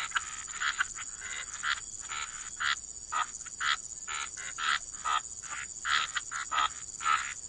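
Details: Waterside frog croaks in a calm wetland soundscape: separate short rasping calls spaced about half a second apart, some with a brief tonal note, over a constant thin high hum.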